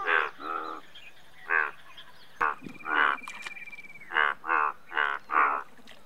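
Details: Indian bullfrog with about nine loud, harmonic croaks, mostly in pairs, broken midway by a sharp click and a thin, steady high whistle lasting around a second and a half.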